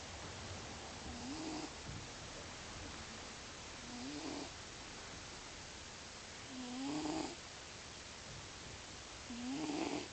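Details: Male pet cat snoring loudly while asleep indoors. He always snores when sleeping. Throaty snores come roughly every two and a half seconds, each ending in a rising, whistled nasal tone, with soft breathy rasping between them.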